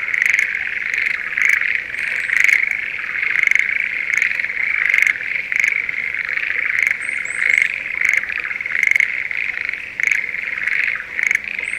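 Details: Schlegel's green tree frogs in a spring rice paddy near Sendai during the breeding season: a dense, steady chorus with repeated brief rattling pulses and faint chirps above it.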